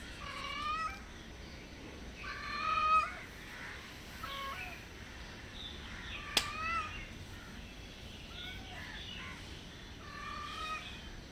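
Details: Hungry stray cats at a house, meowing softly while seeking food and a safe place; several soft, harmonic meows spaced a few seconds apart, some short and some drawn out, over a faint hiss.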